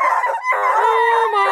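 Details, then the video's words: Bluetick, Redbone and Black and tan coonhounds from a breeder near Kingston, Ontario, give long drawn-out howls; one steady low voice holds under higher, wavering voices layered on top. "Awesome hound crew want to be heard!"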